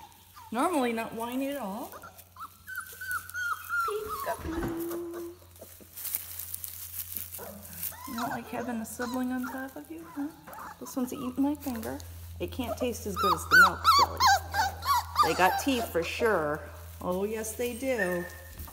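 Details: Four-week-old puppies, doing well in their kennel, keep up a chorus of wavering whines and sharp yelps, broken by a brief pause, with a steady low hum in the background.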